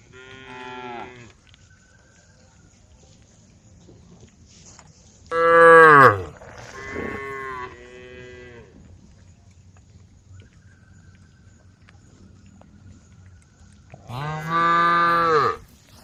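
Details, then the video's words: Cows roaming a forest-edge road, calling the herd: a short moo opens, a loud bellowing moo follows around six seconds with a quieter one after it, then a final strong moo near the end. "the sound of cows calling the herd"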